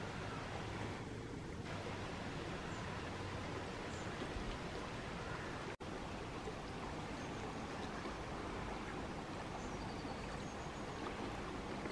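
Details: Steady broadband rushing like water or wind noise, with a brief dropout midway and no clear animal calls.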